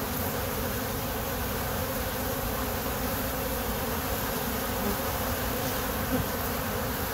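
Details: Honey bees at the owner's hives, a steady dense buzzing hum of many insects filling the recording throughout, with no clear breaks or other voices.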